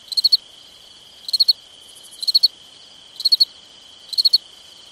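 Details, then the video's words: On a summer night a cricket gives five evenly spaced chirps, each a crisp run of four rapid pulses roughly one second apart, over a persistent high continuous hum. "Summertime Night Sounds Sleep Noise Crickets"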